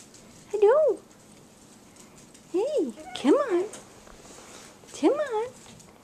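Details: Four-week-old puppies of a dog named Jazzy whimper indoors: four separate high, wavering whines, each bending up then down, spaced a second or two apart in a quiet room.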